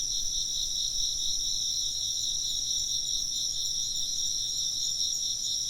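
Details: Insects chirping in a steady outdoor chorus, a bright shrill band with a softly pulsing trill below it and a higher continuous ringing layer, unbroken throughout, with a faint low hum underneath.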